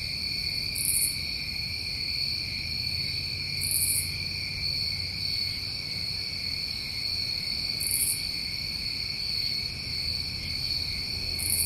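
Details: Unbroken high trilling from a chorus of New England summertime crickets, overlaid by brief very high buzzy pulses repeating every few seconds, with gentle low background noise.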